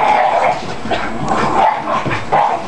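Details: Several pet dogs at playtime, play-fighting that sounds like real fighting, among them a hyper little white dog named Willie; rough snarling growls and short yipping barks in quick, overlapping bursts over about three seconds.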